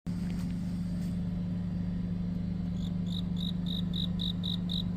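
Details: Cricket chirping on a deepening autumn night. Shrill high chirps begin partway through and repeat about four times a second over a steady low rumbling hum like an engine.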